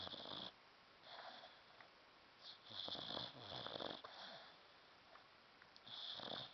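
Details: Indoors, the sleeping dog Runkle snores with rough, wheezy inhalations and a sharp hissing edge, bursts of about a second coming back every couple of seconds.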